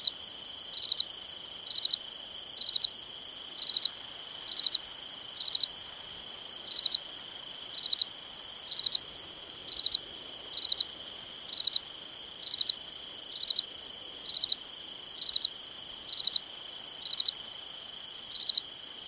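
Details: Night-time summer crickets keep up a steady run of about twenty high three-pulse chirps, nearly once a second, backed by an unbroken shrill insect tone.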